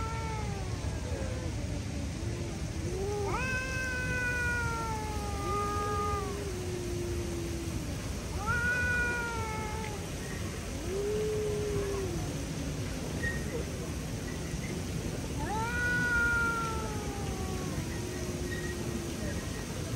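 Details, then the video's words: Street cats in a standoff, one trying to spook the other, which refuses to back down: drawn-out moaning yowls that rise, hold and then sag, repeated about every four to five seconds against a steady outdoor hum. "Stray Cat Refuse to Back Down"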